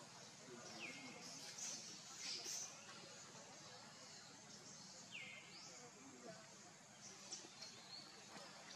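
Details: Baby monkey named Leo crying to beg its mother for milk: thin whistled cries that slide downward, three spaced several seconds apart, over a steady hissing background with faint higher chirps.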